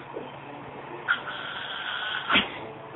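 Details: Female pet Yorkshire Terrier making her weird noises: a short squeak opens a drawn-out, high, steady whine lasting about a second, ending in another sharp squeak, over a low indoor hum.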